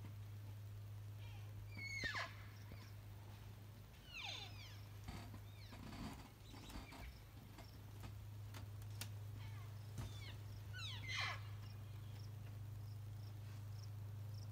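Elk calls come through as thin, high-pitched squeals and whistles, some sliding sharply downward with a raspy edge. A few bursts stand out among fainter ones, all set against a constant low droning hum.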